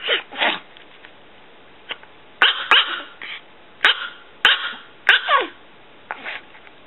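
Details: Pulga, a six-year-old female Chihuahua weighing under 3 pounds, gives sharp high yappy barks in irregular bursts, several close together, each with a falling tail, in a quiet indoor setting.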